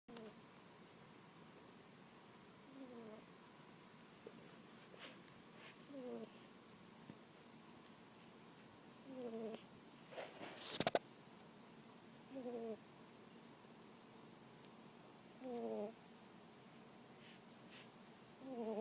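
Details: Sleeping cat snoring during a movie, each breath a short, nasal, slightly descending tonal snore repeated roughly every three seconds, with faint background hiss and a few sharp clicks near the middle.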